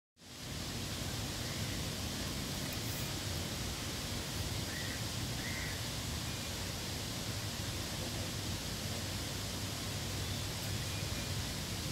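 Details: Steady broadband rushing noise like wind or flowing water fills the whole recording, with no animal calls audible.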